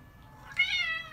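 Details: Maine Coon cat giving a single short, high, bright meow indoors that rises then falls slightly, in a quiet room.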